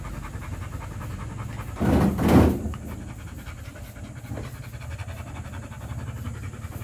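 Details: Panting from a Rottweiler puppy aged three weeks, a fast regular breathy rhythm interrupted near the middle by a louder rustling thump, then continuing steadily.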